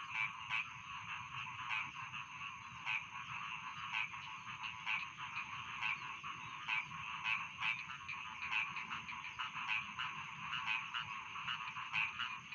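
A dense chorus of rice field frogs, rapid rasping croaks overlapping without pause.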